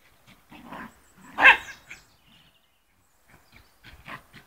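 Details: Fox terrier playing football, giving one loud, short harsh bark near the middle, with softer low growly sounds just before it and faint scuffling and scattered small noises afterward.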